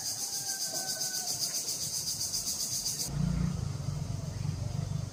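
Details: Cicadas in summer give a high, hissing buzz that pulses about four times a second, then a low rumble takes over.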